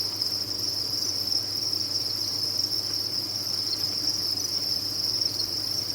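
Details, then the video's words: A cricket farm's many insects trill together in a bright, constant high-pitched wash, no individual chirps standing out, with a quiet low-frequency hum running throughout. "Sound of a Cricket Farm"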